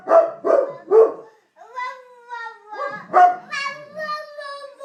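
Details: Pet dog joining a baby in howling: three short barking yelps, then a long, steady, tonal howl that holds and wavers, with the baby's voice overlapping near the end.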